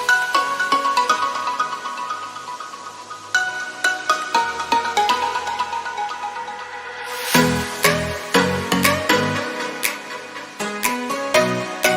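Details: Electronic music with plucked tones and punchy beats, briefly swelling into a louder section midway, and no animal voice heard.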